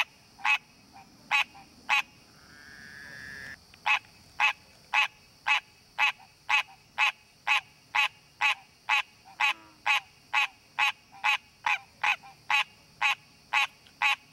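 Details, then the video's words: Wild green tree frog in natural habitat, calling while looking for a mate: a long run of sharp, honk-like notes about two per second, briefly interrupted early by a soft rising whistle-like sound, with a steady high hum behind. "Green Tree Frog Calling!"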